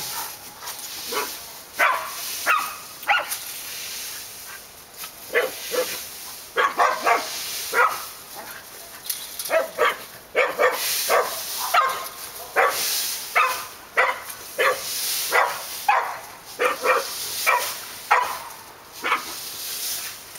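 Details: Barking dogs at Park Drive: scattered short barks in irregular clusters across twenty seconds, some quieter and more distant, over a steady background hiss.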